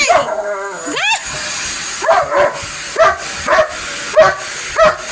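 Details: Police dog objecting to a vacuum cleaner: a rising, strained whine opens, then a series of sharp barks follows at uneven intervals, with a constant appliance hum throughout.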